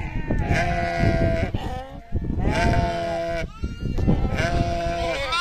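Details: Sheep on a farm producing a series of drawn-out, tremulous bleats about every one and a half seconds, with several voices overlapping and a low rumbling background underneath.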